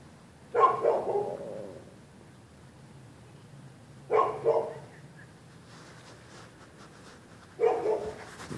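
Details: Night barking by neighbors' dogs reacting to anybody on the public sidewalk, February 2, 2013. Three strong, gruff barks spaced about three and a half seconds apart, the middle one doubled, over a faint hum.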